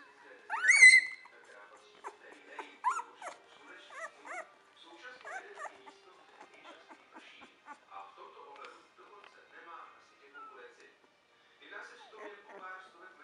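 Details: Two-week-old Entlebucher Mountain Dog puppies from a kennel litter: a loud, high, wavering squeal opens, followed by scattered short squeaks and soft whines at intervals, with quiet gaps between.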